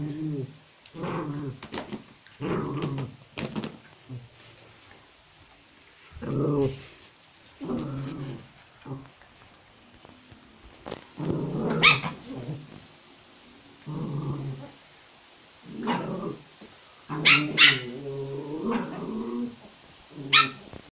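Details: A toy Pomeranian puppy in Kathmandu, Nepal, playing with a spitz, gives sharp, high, yappy barks mixed with brief growls in irregular bursts.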